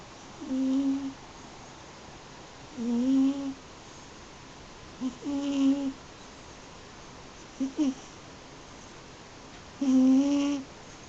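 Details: Sleeping eight-year-old pet cat Yuzu, a Munchkin crossed with American Shorthair, gives low hummed snores, short tonal bursts that rise slightly in pitch and repeat every two to three seconds, in a quiet indoor room.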